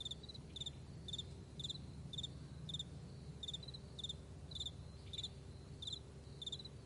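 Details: Crickets in a vast meadow in the morning, giving short high chirps in pairs and triplets roughly every half second, steady and bright over a low continuous rumble.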